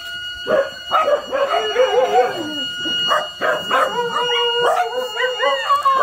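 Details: Dogs, including a little female named SoRA, howling early in the morning after being woken by a siren alarm; wavering, sliding tones overlap with short yips and breaks, several voices rising and falling together.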